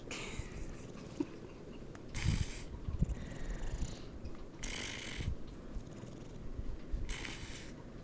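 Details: Sarge, a dog lying upside down asleep on a bed, gives low grumbling snores with a loud raspy breath about every two and a half seconds, each swelling then fading back to a soft rumble.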